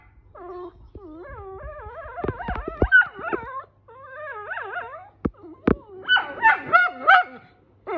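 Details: Whippets at home, a female loudly yelling at a male: strained, wavering whine-howls with rich harmonics in bursts, several sharp yips, then rising and falling yodel-like cries, with short quiet gaps between phrases.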